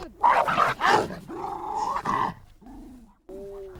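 A West Highland White Terrier gives a few sharp, high barks, then softer whining, nasal sounds.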